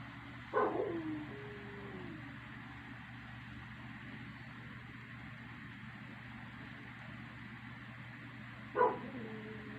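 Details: One household dog howling at night: a sharp yelp-like onset leads into a faint, steady mid-pitched tone that slides slightly lower over about a second. A second short burst and tone near the end, over a constant low hum.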